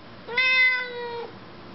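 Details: Female pet Siamese cat chatting with her owner indoors: a single loud, nasal meow of about one second. It starts abruptly and holds an even, slightly falling pitch before stopping cleanly.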